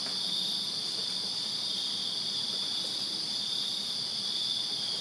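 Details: Many crickets calling in a Virginia backyard on a summer night, forming a continuous shrill pulsing drone that never pauses, with a soft low hum beneath.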